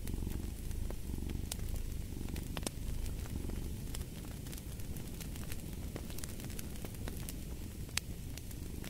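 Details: Deep, even purr of a cat rising and falling with its breathing, accompanied by a fireplace that crackles and snaps irregularly, the rumble easing slightly midway through.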